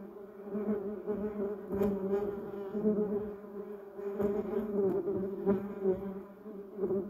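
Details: Bumblebees hovering around a yellow cassia shrub and duranta erecta; a steady, deep humming buzz, slightly quieter, pulsing in and out as bees fly nearer and farther.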